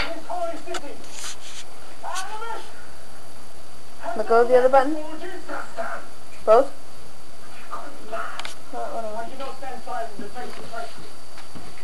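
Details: Male kitten chasing a laser pointer gives a few short, wavering meows, bunched near the middle, between stretches of people talking and laughing nearby.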